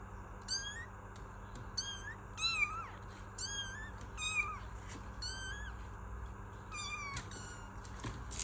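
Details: Kittens meowing repeatedly, about nine short, fairly soft meows in an uneven series, some with a slight rise and fall, over steady low background noise.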